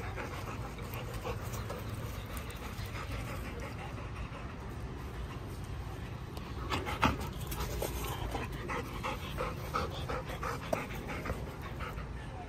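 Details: Hutch, a Golden Retriever, pants steadily in rhythmic, breathy bursts over a constant low background hum, with a few louder breaths near the seventh second.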